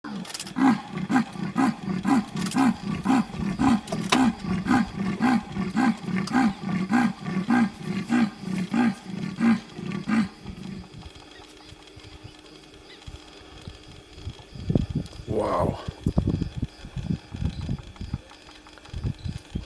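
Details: Wild female leopard calling in the Serengeti: a run of deep, rasping grunts repeated about twice a second for ten seconds, then quieter rustling followed by laughter and excited talk from onlookers.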